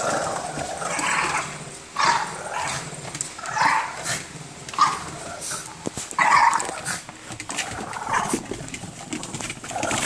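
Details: Several Boston Terriers fighting over an orange toy, giving rough, mid-pitched growls in bursts about every one to two seconds, with scuffling noise between them.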